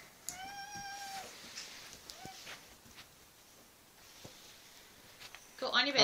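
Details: Domestic cat that has claimed a dog's bed gives one drawn-out meow, a clear, steady tone lasting about a second. A person talks to the animals nearby, with soft knocks and a louder rustle at the end.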